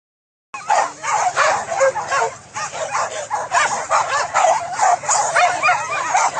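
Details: Trained hunting dogs barking during a wild boar hunt in fields at Solok, West Sumatra, Indonesia; a pack yips and bays in dense, overlapping bursts with excited whimpering yelps.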